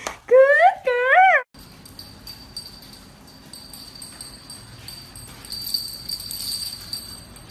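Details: Poodle puppy letting out two loud, wavering, rising-and-falling whines in quick succession, then quiet room noise with a faint jingling bell.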